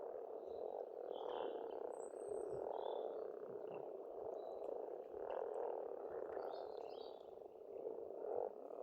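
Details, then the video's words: Pond frogs in Estonia calling together in spring, an unbroken churring chorus that rises and falls in waves every second or two, with scattered high bird whistles and trills. "Расслабляющее пение птиц и лягушек"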